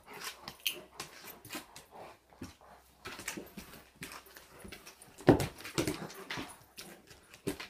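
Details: Indoors, a giant German Shepherd in a home mounts what is billed as a vicious attack; choppy, close, uneven bursts with one loud burst near the middle.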